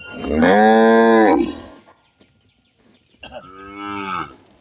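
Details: A village cow in India lets out a drawn-out, rich moo lasting over a second, full of harmonics, then after a short pause a second, quieter and briefer moo with a slight rise at its start.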